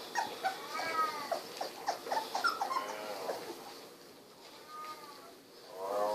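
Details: Sixteen-day-old Golden Retriever puppies, eyes recently opened, wiggling and walking about. High squeaky whimpers and yelps with bright harmonics come in a quick burst over the first three seconds, then a drawn-out whine and a final rising squeal.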